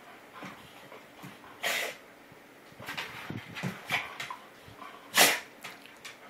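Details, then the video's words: Dog GiGi sneezing while Rudie boxes her in play: two sharp, broadband bursts, one early and one near the end, with softer snuffling noises between them. "Rudie boxing GiGi... Makes her sneeze.."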